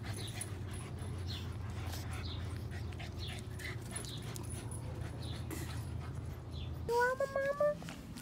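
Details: Boston Terrier puppies, three females named Panda, Koala (12 weeks) and Grizzly (9 weeks), playing indoors; a steady low panting hum gives way near the end to a rising, wavering high whine with clear overtones, while a woman talks softly.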